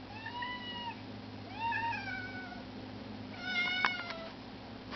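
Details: Indoor kitten begging to be let outside: two long wavering meows, then a shorter broken one with clicky noises, over constant low hum.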